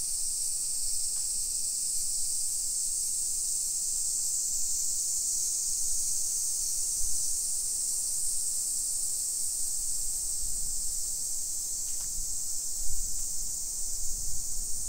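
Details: Cicadas droning through a modern Nisshin neighbourhood near Nagoya, Japan, at 1 PM on 28 July 2021; a constant high shrill hum over soft low thuds and bumps that grow toward the end.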